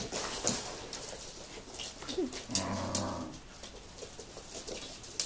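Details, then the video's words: Tibetan Terrier grandmother teaching 7-week-old puppies at the Tingsha Bells kennel, 2015 'F' litter, indoors: a short, low, droning harmonic vocal sound of under a second midway, amid scattered clicking and tapping patter. "NAGYMAMA NEVEL (GRANDMOTHER TEACHING)"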